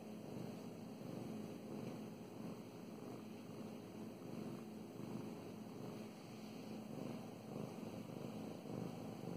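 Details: Being petted, the female cat Mow Mows keeps up a deep, even purr; a dense rumbling drone with slight rises and falls in loudness and quiet stroking sounds over a faint steady hum.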